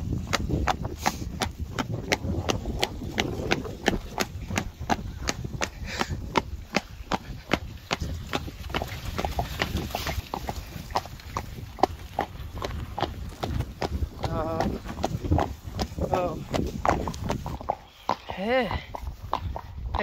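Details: Friesian horse hooves in a fast, steady clip-clop: sharp percussive clicks several per second, sustained throughout with little pause. Brief human voices surface near the middle and again toward the end.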